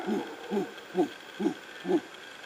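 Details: Howler monkeys, unseen but close, give deep, hoarse grunts repeated evenly about twice a second on a forest trail at Lapa Rios, Osa Peninsula, Costa Rica; they call like this on waking and periodically through the day.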